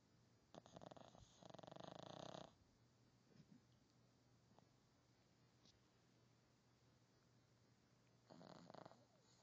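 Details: A Boston Terrier puppy snores loudly in rough, breathy bursts with quiet pauses between them.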